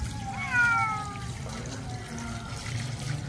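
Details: Domestic cat meowing while being bathed at home in cold water, which it has been used to since young: one drawn-out, slightly falling meow with clear harmonics, followed by a fainter second meow, over running and trickling water.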